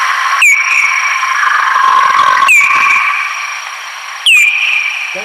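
Slowed-down bat echolocation calls: three hooked, downward sweeps that level into a steady whistled tone.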